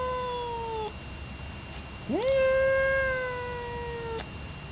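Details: Indoor male cat Thor, fixed at five months, yowls through a kitchen window screen at Yellow Cat, an unfixed rival male on the porch. One yowl trails off, then a pause, then a new one rises steeply and is sustained for two seconds.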